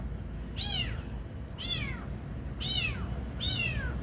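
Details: Kitten being given food, mewing four times at about one-second intervals: high, thin, downward-sliding meows with bright harmonics, steady low background hum.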